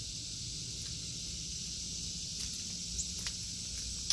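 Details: A chorus of cicadas in a garden during an August 2023 tour gives a constant high buzz, with a few soft rustles and taps toward the end.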